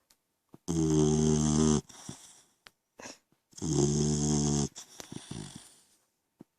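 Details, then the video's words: Koda, a 3-month-old French Mastiff/Pitbull mix puppy, snoring indoors: two long, rasping, buzzy snores of about a second each, with softer wheezy breaths between them. "French Mastiff/Pitbull Snoring"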